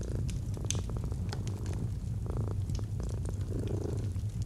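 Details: Domestic cat purring, a deep continuous rumble pulsing low and steady, while a fireplace crackles with scattered sharp snaps above it.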